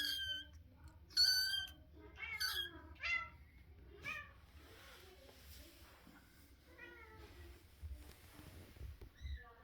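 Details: Squeaking Russian Blue kitten: a burst of high, piercing meows early on, several overlapping and wavering, then softer, fainter mews trailing off in a quiet room with a low hum.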